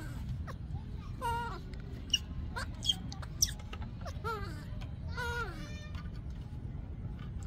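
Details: Baby monkey of Yaya, still upset, screaming for Yoyo's milk: shrill wavering wails that rise and fall in bursts with harmonics, interspersed with short sharp squeaks, over a low background rumble.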